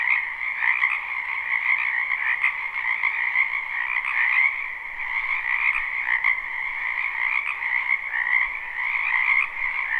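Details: Live, unlooped recording of a spring wetland full of frogs: a constant layered croaking chorus, shrill upper trills atop a lower pulsing band, with faint flickers of individual calls within the mass.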